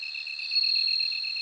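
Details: A bell cricket's high, clear ringing trill swells and holds steady, with rapid lower pulsing from another insect behind it.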